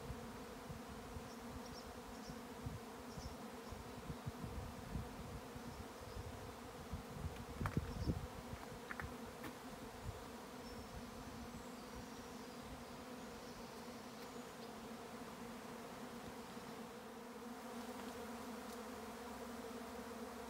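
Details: A swarm of honey bees in May at a County Kilkenny farm in Ireland, filling the air with a continuous layered drone; faint high bird chirps and a few brief knocks break through the steady buzzing.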